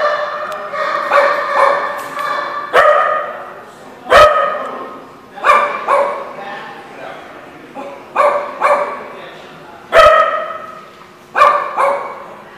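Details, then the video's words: Dogs barking at a lot on 29 January 2016: loud, harmonic barks and yips from more than one dog, in bursts roughly every one to two seconds, with overlapping voices and a human voice faintly in the background. "The Barking Lot"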